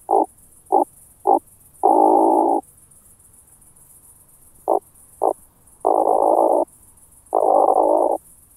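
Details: Oak bush-cricket, Starnberg, Germany, 18 July 2023, heard via a Pettersson D 100 ultrasound detector: alternating groups of three quick short bursts followed by longer even buzzing rolls, repeated in a loose rhythm over a quiet background.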